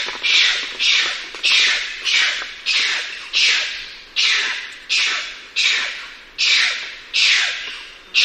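A bonnet macaque gives harsh, rasping squawks that come in a steady series, slightly less than one per second.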